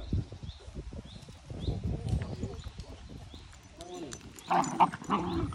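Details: Dachshund siblings barking: after a stretch of low murmuring and human talk, a cluster of short, sharp barks bursts out near the end, with voices continuing underneath.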